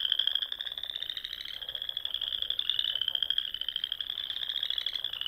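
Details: Frogs calling at dusk on a Sandhills lake in Nebraska in spring: a continuous high, fast-pulsed trill holding nearly level, with a fainter lower buzz underneath and no other sounds.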